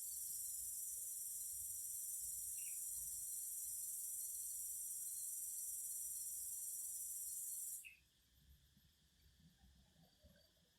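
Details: Singing cicadas: a loud, steady, high-pitched buzz holds unbroken for almost eight seconds, then cuts off abruptly, leaving only a quiet low rumble and a couple of faint chirps.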